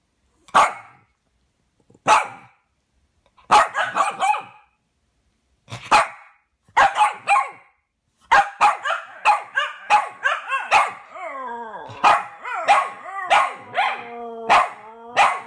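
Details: Fred and Barney, two dogs singing a duet: separate sharp barks every second or two at first, then from about eight seconds rapid yelps run into wavering, sliding howls that overlap to the end.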